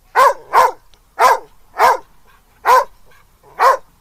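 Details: Dog in a park among other running dogs and squirrels, happy and having fun but a little confused; six short, sharp barks, mostly in pairs, spaced about half a second to a second apart, against quiet surroundings.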